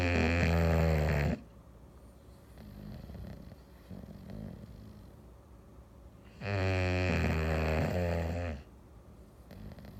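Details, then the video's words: Sleeping English Bulldog on a Sunday afternoon snoring twice, about five seconds apart. Each snore is a loud, harsh, rattling drone lasting one to two seconds, with soft breathing and room quiet in between. "English Bulldog snoring"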